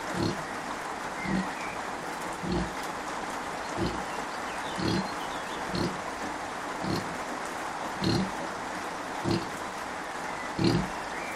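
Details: Kunekune sow Bella with her five-day-old piglets, grumpy but up and about, gives a steady run of brief low grunts roughly every second over continuous hissing background noise.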